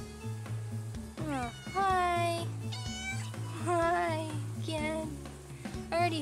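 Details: Adult female outdoor domestic cat in a front yard meowing repeatedly while being greeted, short rising-falling meows about once a second, over a woman's voice and background music.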